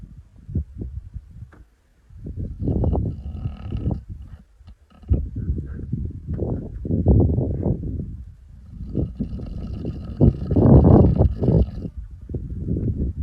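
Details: Topi, a male lion of the Masai Mara, snoring while asleep on 14 November 2025: low rumbling breaths swelling and fading in long pulsed bursts, with faint insect-like hiss higher up.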